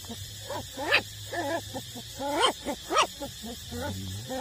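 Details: Eight-week-old street-dog puppies suckling from their mother, uttering a dense run of squeaky whines and yelps, several sliding upward, overlapping one another over a low background hum.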